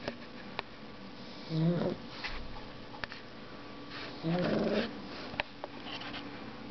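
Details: A sleeping dog snores twice, roughly three seconds apart, each snore a brief grating, buzzy rasp. Faint room hum and a few small clicks lie between them.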